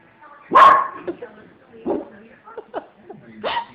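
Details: A Lhasa Apso, angry at seeing his own picture on a cabinet, gives one sharp, loud bark, followed by softer sounds and a person talking.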